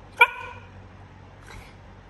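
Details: Siberian Husky at home reacting to being asked about going outside: one short, sharp high-pitched bark or yip with clear harmonics, then a faint second sound after over a second, amid low background hum.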